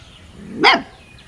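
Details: Playful puppy outside letting out a single short, sharp yip over steady background hiss.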